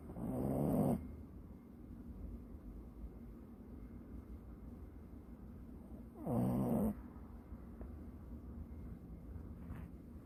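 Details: A dog snores like a person and is startled by its own snoring. Two rough, rumbling snores come about six seconds apart, with quiet breathing hiss between them.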